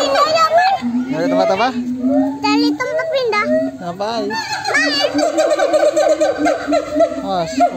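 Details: Monkeys answering one another in a loud, crowded chorus, layered whooping cries that swoop up and down, some drawn out, others quick and stacked, several animals overlapping throughout.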